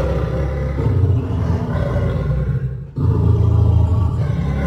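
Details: A caged pair of roughly three-year-old lions, a male and a lioness, at Paragpur Zoo, Himachal Pradesh, roar: a deep, rumbling roar rolling on almost without pause, dropping briefly before surging again.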